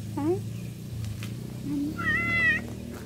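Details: Cat meowing in a short exchange: a brief low rising mew, then a longer higher meow held level before falling, over a steady low hum.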